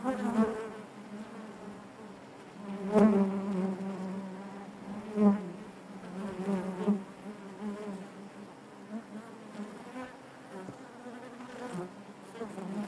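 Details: Honey bee colony droning inside its hive: an unbroken low buzz with layered harmonics, repeated louder surges as nearby bees pass close, notably around three and five seconds, over an even background hum.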